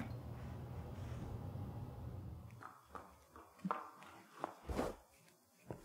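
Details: Hank the horse at the Kentucky Horse Park in Lexington, Kentucky, eating carrots, apples and peppermints: a low indoor hum gives way to sharp, irregular crunching bites, with several louder crunches near the end.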